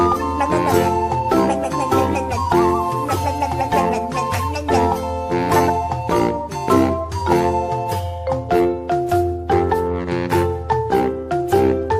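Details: Bright mallet percussion music, like a marimba or xylophone, plays in a bouncy rhythm with no animal sound present.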